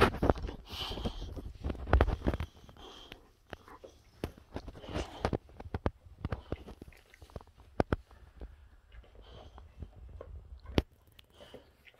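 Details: Indoor rustling, sharp clicks and thumps, and chewing noises sound alongside faint speech, with no animal calls.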